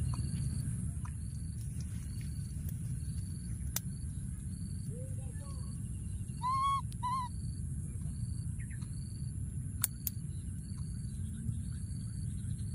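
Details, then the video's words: A baby monkey in the wild hides in a thorny tree and keeps calling for his friend, giving one soft low coo then two short clear whistled cries midway, against a constant low hum and rhythmic high-pitched pulsing. "What a p.o.o.r baby monkey, hiding in a thorny tree and continuing to call for his friend"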